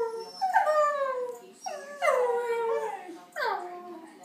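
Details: Blue Heeler dog howling: three drawn-out tonal howls with rich harmonics, each starting higher and sliding downward, the middle one longest and steadiest, separated by brief pauses, with a quiet background.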